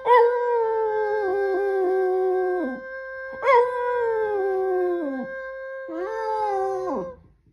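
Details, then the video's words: Indoors, a Boston Terrier sings with the Gilligan's Island theme in three long sustained howls, each lasting about two to three seconds. Every howl begins with a sharp onset, holds steady and level, then slides down at the end. "the Boston Terrier sings his and brother Gilligan’s theme song"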